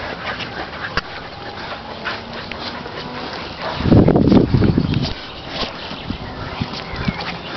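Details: Playing dogs, a male Staffordshire aged 8 years plus young male and female bull terriers: quiet panting and shuffling, then a loud gruff growling burst about a second long midway, fading back to scuffles.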